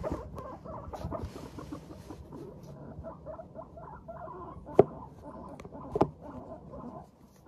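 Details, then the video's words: Pet guinea pigs of Teddy and Abyssinian breeds chatter contentedly as they walk, giving a steady stream of low, muffled putting notes with two sharper clicks near the end. "軽快に歩く♪上機嫌なモルたちのお喋り Guinea pigs chatting"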